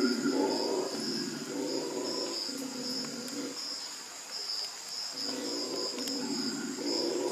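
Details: Somewhat distant howler monkey roars at the Manu Learning Centre in Manu, calling to each other in two long rumbling bouts separated by a quieter lull, with cicada-like insects pulsing steadily overhead.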